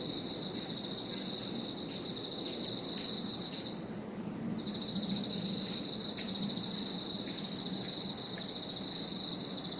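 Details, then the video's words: Evening insect chorus in a park, crickets among other insects: a constant high ringing trill with bursts of fast pulsed chirps that pause briefly and resume, set against soft low rumbling background noise. "Harmonious sound of crickets and other insects 저녁 공원 풀벌레 소리"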